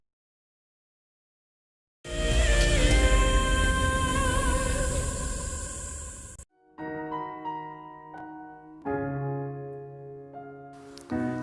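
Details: Piano and electronic music playing after brief silence, with sustained chords then plucked notes; no animal sound heard.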